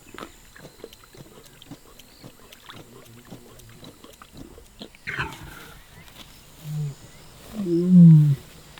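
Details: Male lions near a river at dusk in rainy conditions, watched in hope that they roar, give deep, low moaning grunts that build and swell in the last few seconds, after a quiet stretch of soft clicks and rustling.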